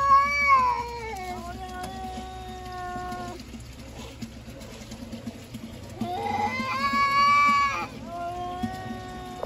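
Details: Cats yelling at each other during a cat fight: long, drawn-out wavering yowls that slide downward, a first bout of about three seconds, a quieter pause, then a second rising, strained yowl of about two seconds.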